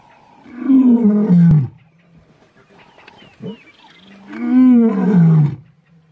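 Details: Big male lions, the Mpondo males, in South Africa, giving two long deep roars with strong harmonics that sag slightly in pitch, separated by a quieter gap with a short low grunt.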